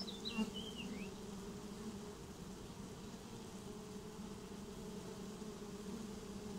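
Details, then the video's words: Honeybees swarming into a new home produce a steady, even buzzing hum with strong low bands; a short bird phrase of rising and falling whistles opens the recording, then only the drone continues. "Swarm of honeybees get new home"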